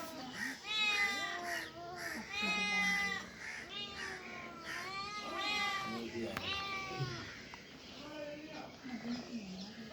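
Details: Cats and kittens meowing in a run of repeated drawn-out meows, each rising then dropping, several per few seconds, with people talking in the background throughout.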